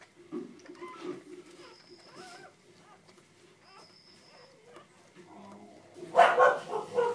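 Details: Purebred pedigreed male Border Collie puppy from a Vietnamese breeding litter, born 4 October 2013, giving soft, thin whimpers and whines against a quiet woman's voice, ending in a louder burst of scuffling and yelping.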